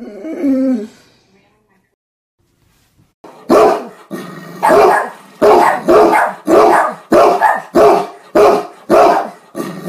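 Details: A Great Dane barks at his owner, a way of talking to him. A brief soft whine is followed by a pause, then a steady run of deep, loud, hoarse barks about every half second.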